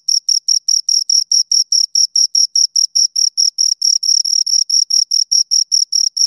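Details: Two crickets give high, ringing chirps in quick succession, about four a second, the beats occasionally overlapping into a brief continuous trill.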